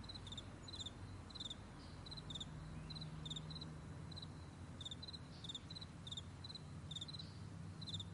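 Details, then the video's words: Meadow crickets at morning, high thin chirps in quick doublets and triplets repeating about every half second, clearly above a soft low hum. "Morning Crickets"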